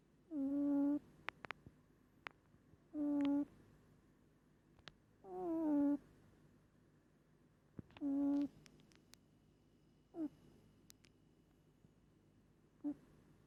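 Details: Pet cat Moli asleep, snoring hard: nasal, humming tones about half a second long, repeated roughly every two to three seconds, with faint clicks and ticks between breaths in a quiet room.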